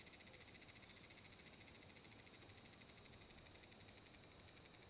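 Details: Summer chorus of large brown cicadas at Furuta, Nishinoomote on Tanegashima island, Japan, 30 July 2022: a sizzling, pulsing high-pitched drone that starts loud and slowly fades, its throbbing pulses growing softer and less distinct.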